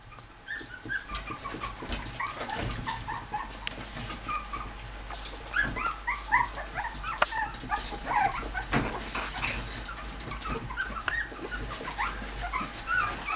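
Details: Bichon Frise whimpering indoors as the mother comes to visit her puppies: many soft, high squeaky whines scattered and overlapping throughout, with occasional clicks and knocks in the background.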